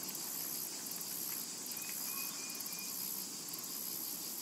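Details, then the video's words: Cicadas in a summer meadow: a shrill, very high buzz, steady but swelling in short pulsed bursts, with a few faint thin bird chirps in the middle. "Summertime and Cicada Ambience"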